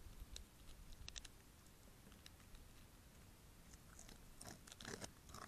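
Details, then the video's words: A family of North American beavers gnaws a large poplar they had felled weeks earlier, in Ingham County, Michigan, late February to early March 2024: irregular crunching bites and scraping, louder bursts toward the end, over a low rumble. "BEAVER FAMILY DEVOURS A TREE"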